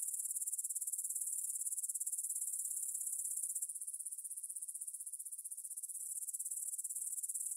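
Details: Meadow grasshoppers near Bryansk's Svensky monastery, Russia, recorded at 9pm on September 6, 2020 with a Tascam DR-44WL in stereo: very high, sizzling trill of fast regular pulses, slightly pulsing in strength, dimming a little midway.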